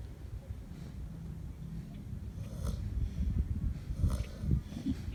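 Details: Two Kunekune pigs snore while napping in the sun, a low rumbling breath with soft snorts.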